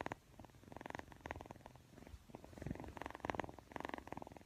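A Persian kitten purrs in a steady, pulsing rumble with rhythmic breathy swells.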